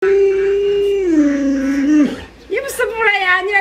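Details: Luoluo, a pet Alaskan Malamute favoured by grandma, gives a drawn-out, talking howl indoors. It holds steady, slides lower, breaks off, then rises again in wavering tones while people speak nearby.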